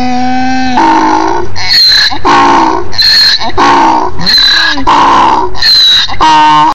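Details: A donkey near a farm on a hill brays very loudly, swinging between a honking inhale and a harsh, squealing exhale in a steady rhythm.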